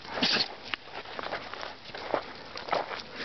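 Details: Dog on Cowles Mountain in a sneezing fit: a loud breathy burst near the start, then several shorter snorting sneezes spaced about half a second to a second apart, over steady outdoor hiss.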